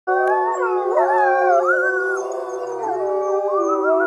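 Arctic wolves howl together, several long wavering voices sliding up and down and overlapping.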